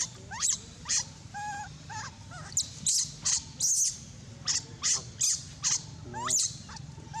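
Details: Monkey, said to be abandoned, crying loudly with a run of shrill, harsh screams, roughly one every half second, with thin whistled wails and squeaky tonal calls between them.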